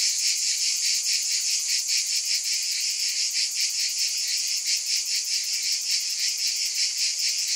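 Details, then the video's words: A shrill wall of cicada buzzing, bright and high, swelling and fading in quick regular waves of roughly two or three per second, with nothing else audible. "Scintillating Cicadas 1 hour White Noise"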